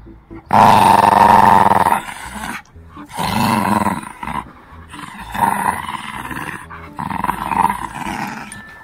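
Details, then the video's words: Shih Tzu puppy growling fiercely at home during a tug-of-war game while teething; a long, loud, harsh, throaty growl near the start, then shorter rasping growl bursts with brief pauses between them. "귀여운 시츄 강아지가 사나워질때(으르렁으르렁대)When a cute Shih Tzu puppy gets fierce"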